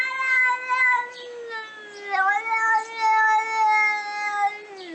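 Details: Cats fighting, with a long drawn-out wailing yowl whose pitch wavers and dips, swelling and fading in loud pulses through the whole stretch, plus faint hissy bursts over it.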